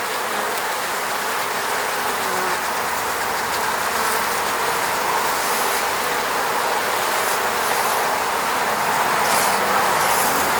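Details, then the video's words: Eco-apiary honey bees near their hive in Russia's Moscow region, recorded with a Sony a7 III; a dense, unbroken hum of wings with a faint crackling hiss on top, swelling a little toward the end. "sound of bees buzzing around beehive"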